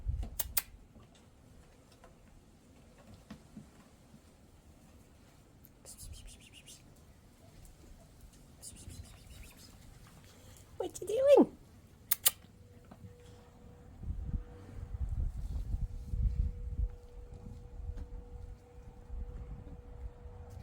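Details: Tia, a cat, climbing an outdoor tree dusted with catnip, gives one short meow that rises and then falls midway through. The surroundings are otherwise quiet, with a few soft words spoken early on and a faint steady tone toward the end.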